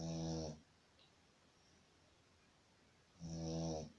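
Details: Shih Tzu snoring while asleep: two loud, droning, rattly snores with stacked buzzing tones, one opening the recording and one near its end, about three seconds apart with quiet breathing between.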